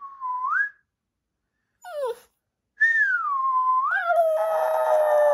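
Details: A dog answers its owner's whistling, a short rising whistle coming first, then a brief falling yelp and a long sliding howl that drops in pitch and settles into a sustained wavering tone with rough noisy overtones.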